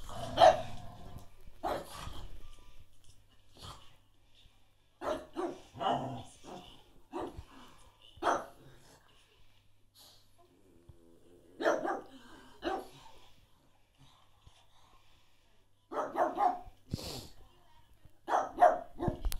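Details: A pug gives short, sharp barks in uneven bursts separated by brief pauses while trying to play with a Cocker Spaniel.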